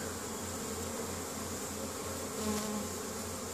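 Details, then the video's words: Honey bees foraging in spring, bringing pollen home to their hive in Caribou, Nova Scotia, Canada, on 10 May 2015; a steady, low, droning hum of many bees, with a brief louder swell midway over soft background hiss. "Honey Bees spring foraging"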